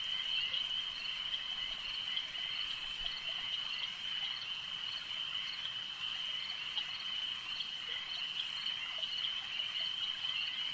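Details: Frogs at a lake keep up a constant high-pitched trilling chorus, many voices blended into one continuous buzz, with a few brief sharper clicks standing out at intervals.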